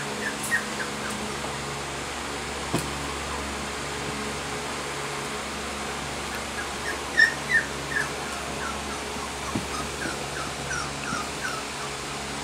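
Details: Young female Sheepadoodle, 20 weeks old, lets out soft, scattered downward-sliding whimpers, the strongest few bunched past the midpoint, with a faint steady hum beneath.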